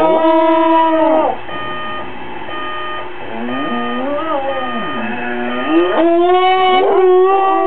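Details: A female dog who hates the alarm clock howls at it: a held tone breaking off, softer warbling slides in the middle, then a rising, swelling howl near the end over a faint constant high tone.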